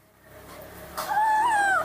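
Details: Baby monkey impatient for its morning milk: a thin, wavering, whistled whine that rises and falls slightly over about a second, following a woman's voice speaking Indonesian.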